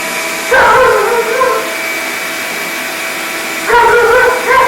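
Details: Sojou, a female Alaskan Malamute, battles a loud shop vacuum with two bursts of wavering, harmonic woo-woo vocalising that slide downward, set against the constant roar of the machine.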